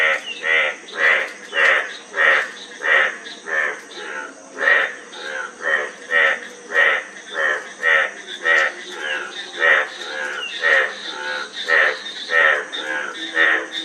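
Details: Loud, regular frog croaks, throaty and buzzy with bright overtones, about one and a half per second for the whole stretch. Softer overlapping calls sit beneath them in the chorus.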